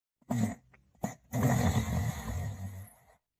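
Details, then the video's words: A sleeping male Borzoi dog snoring: two brief snuffling snorts, then one long, low, rough rumbling snore of almost two seconds that fades out. Quiet room, no other sounds. "The Male Borzoi Dog Sleeping & Snoring"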